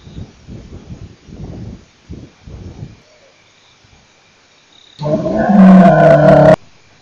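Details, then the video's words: Male lion at Nkorho, 29 September 2008: a run of deep, pulsed grunts repeated in quick succession for about three seconds, then quiet, followed by a loud, harsh, tonal burst lasting over a second. "Male Lion part 2"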